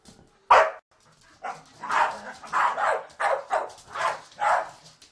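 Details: Staffordshire Bull Terriers play fighting, giving a burst of rough barking growls: one sharp bark, then a string of grumbling, throaty growls roughly every half second.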